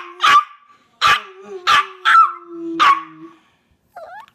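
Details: Hercules the Chihuahua mixes loud sharp barks, roughly one every half second to second, over a faint underlying howl that trails off, followed by a short higher squeak.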